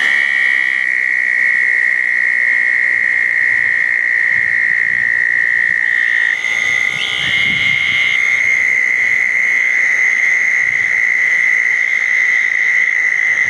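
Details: Southern toads calling around a pair of small dug ponds on a wet night after a thunderstorm, June 10, 2014: a steady, high, unbroken trill held for seconds, one caller overlapping and replacing another, with brief buzzy notes higher up.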